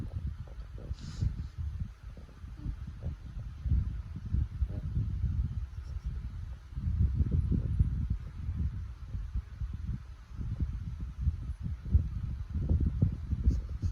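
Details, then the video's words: French Bulldog snoring: low, rough rumbling breaths that swell and fade in waves every few seconds, the sound sitting deep in the bass, with a faint high click near the start. "French Bulldog Snoring"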